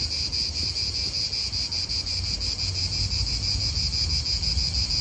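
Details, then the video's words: High, rasping cicada drone in an Italian park, pulsing rapidly several times a second, over a gusty low wind rumble. "Cicadas wind real atmosphere in an Italian park"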